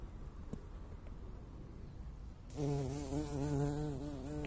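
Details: A buff-tailed bumblebee on a crocus flower gives a low, steady droning buzz that starts suddenly and holds with a rich harmonic hum.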